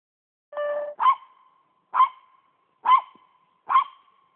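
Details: Poodle treeing a squirrel, barking four sharp, high yelping barks about one second apart, each trailing off into a brief ringing tone, after a short flat steady tone at the start.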